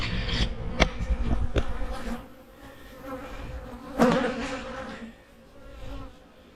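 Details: Honey bees humming in their hives in autumn, a low steady drone with sharp taps and a louder knock midway as the hives are prepared for winter.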